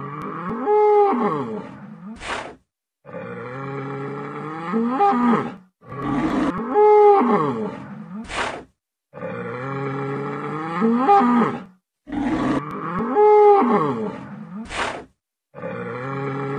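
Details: Intact adult bull (Bos taurus) bellowing repeatedly: deep, drawn-out moaning moos roughly every four seconds, each closed by a sharp breathy snort, over a faint sustained musical tone.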